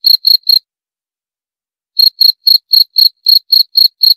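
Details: A few sharp cricket chirps, then a silence of well over a second, then a fresh run of evenly spaced high pulses about four per second. Nothing else is heard.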